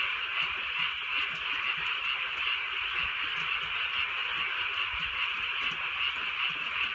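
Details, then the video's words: Frogs calling on a drizzly countryside night: a dense, continuous chorus of rapid pulsing croaks, overlapping and pulsing without pause, with a soft hiss of light rain beneath. "개구리 소리"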